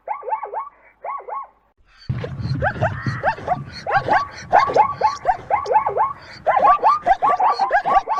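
A zebra gives a high, barking whinny of quick repeated yelps over a low rumble.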